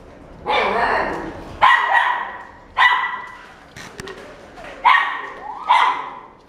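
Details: A female black-and-tan Cavalier King Charles Spaniel born January 2017 barks five times in irregular bursts, each short, bright and harmonic with a yappy edge. The gaps between barks vary from under one second to two seconds, and faint room noise lies between them.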